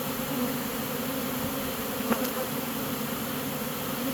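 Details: Honey bees of a swarm entering a new home after deciding they like it: constant thick humming drone throughout, with a single short knock partway through.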